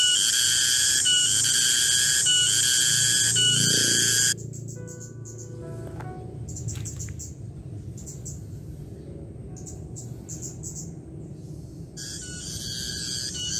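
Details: Garengpung cicada calling in a garden at midday: a shrill pulsing buzz opens, cuts off abruptly, and quieter ticking insect and bird sounds fill the gap until the strong buzz returns at the end.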